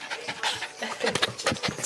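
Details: Shiba Inu Fuku on a visit back to its former home, romping wildly with Tsuki and Sena, the dogs it used to play with there: quick, breathy, rhythmic panting bursts, with a person calling its name close by indoors.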